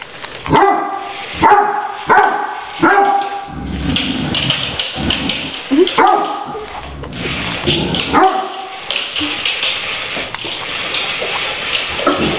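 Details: Pet Great Danes barking while playing with a remote-controlled toy tarantula: deep, harmonic barks in short bursts, several in the first three seconds and more later, over a person talking and background music.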